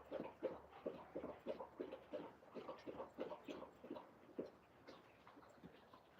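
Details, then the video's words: Alaskan Malamutes Moose and Raven playing outside and coming back to drink from a feeder; quick rhythmic panting, roughly three breaths a second, soft and fairly even, with a man's voice nearby. "Moose & Raven The Malamute Dogs Playing Outside"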